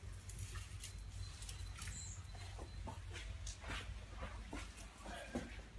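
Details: A tiger, angry after a rude awakening, gives a deep, rumbling growl, steady and low under scattered clicks and rustles.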